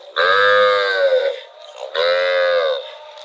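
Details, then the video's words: Cow wandering through rural rice fields moos twice in close succession. Each moo is a full, steady, harmonic note lasting about a second, the first slightly longer than the second. "Cute cow wandering in rural rice fields - Funny cow sound"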